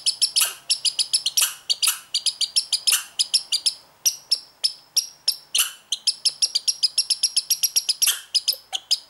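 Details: Young American red squirrel born this year, behaving strangely in a bout said to last two to three minutes; rapid series of sharp, high, ringing chirps repeated several times a second, with brief pauses and some louder bursts.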